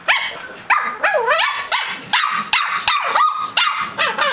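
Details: Two pet dogs chatting back and forth in a bout of barking: about eight sharp, tonal barks with arching, wavering pitch, some sliding into yodel-like yips, spaced roughly every half second.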